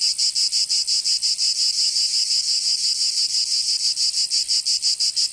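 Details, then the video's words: Cicadas in summer, Provence, southern France, sending out a loud sizzling drone that pulses in fast, fairly regular beats about three each second, no other animals or voices present. "Canto Cigarra 🦗 [ Escuchar les cigarras en verano 10 H]"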